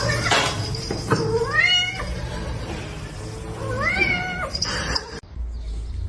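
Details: Domestic cat from a funny pet compilation giving two drawn-out meows, each rising then levelling off with bright stacked overtones, about two seconds apart, over a steady background hum and some broadband clatter.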